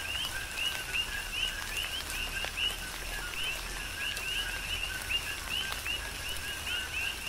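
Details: On Hawaii's Big Island, coqui frogs call through a rain shower, their two-part calls of a low note and a sharply rising high note repeating steadily and overlapping, set against hissing rainfall and occasional louder drips.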